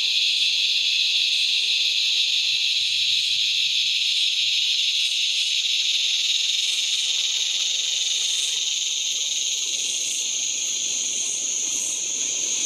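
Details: A razor grinder cicada (Henicopsaltria eydouxii), a common Australian cicada, calls at dusk as it was getting quite dark: a loud, unbroken, high-pitched grinding buzz that holds steady throughout.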